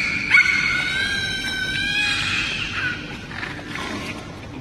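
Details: A captive beluga whale gives high, squealing whistles, calling out because it cannot retrieve its toy, as its trainer looks on.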